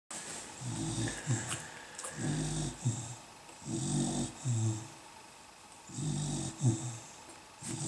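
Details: Beagle puppies from Mimmi's litter, recorded 150701, breathing in deep, low, snoring rasps with a hissy edge, paired bursts returning roughly every second and a half with short quiet gaps between.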